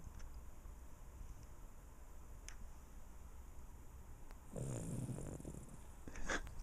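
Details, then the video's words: Andre, a pet dog, snoring while asleep: a quiet low breathy background for about four seconds, then one louder, rough low snore lasting under a second, with a faint sharp tap near the end. "Andre snoring"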